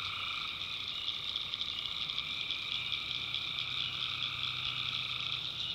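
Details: Tree frogs at night in a North Carolina backwoods swamp, many callers forming an unbroken high trilling chorus with softer lower pulsed calls layered underneath.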